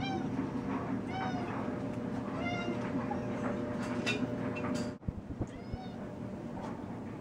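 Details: Domestic cat Sneaky calling in the kitchen at a moth; repeated short arched meows in quick succession early on, then a thud and a few more meows, with a steady hum behind.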